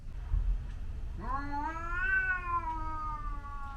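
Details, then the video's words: Yowling from a Scottish Fold cat fighting a white outdoor cat that visits the garden, at normal speed: one long tonal wail of about two and a half seconds that rises sharply, then sags gradually, over a low rumble. "Cat fight"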